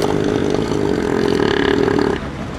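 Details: A southern elephant seal in the Antarctic region gives a deep, rattling, motor-like roar, one steady pulsed rumble lasting about two seconds before it cuts off. Adult males make such loud roars with their large noses.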